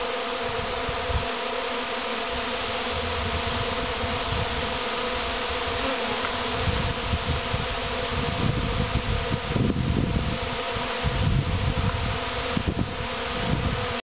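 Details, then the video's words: Bee swarm humming in a thick, unbroken buzz that grows slightly louder and rougher toward the end, joined by low rumbling bursts in the second half. "AUGH!!! BEES!!!"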